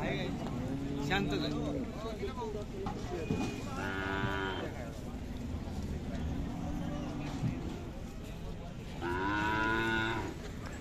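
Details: Khillari dairy cow offered for sale at the Sangola cattle market, 5 May 2024: two long, level moos, one at the start and one midway, with men's voices and general market din between them.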